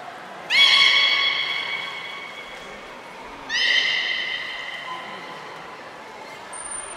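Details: Captive beluga, Port of Nagoya Public Aquarium, 18 February 2024, feeding and post-feeding play: two sharp-onset, harmonic squeals about three seconds apart, each sliding slightly downward and fading, followed by a faint tone and a brief high whistle.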